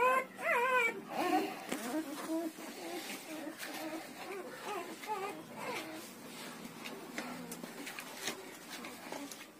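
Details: Newborn Siberian Husky puppies, between one and ten days old, give short wavering whimpers and squeals, loudest and most tonal near the start, then fading into softer overlapping cries among rustling and scraping sounds.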